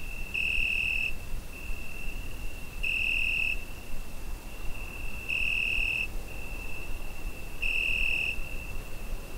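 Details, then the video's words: Summer-night cricket captured on a Zoom H5, its continuous shrill ringing note rising into four intensified pulses, each lasting roughly half a second and recurring about every two and a half seconds, with faint low-frequency hum beneath. "Summer Night Cricket Sound Effect"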